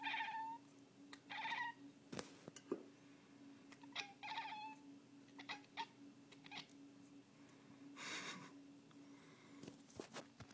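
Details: Pet cat indoors, worked up over birds: short, quiet, chirpy meow-like chatter repeated several times, with scattered clicks and thumps and a constant low hum in the room.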